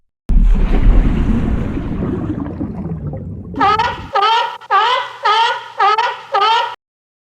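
A seal gives a rapid series of harsh, harmonic, brassy calls after a stretch of rumbling surf.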